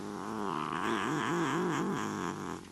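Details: Desert Lynx hybrid cat, a neutered male and wild-natured pet, talking while playing: a sustained, rough, purring-edged yowl that bends up and down in a regular wavy pattern, about five undulations in under three seconds.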